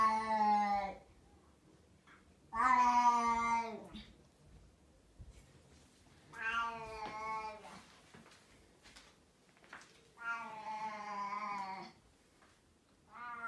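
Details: Loud pet cat indoors, meowing after its food is gone: four long, harmonic, slightly wavering meows about three seconds apart, separated by quiet room silence.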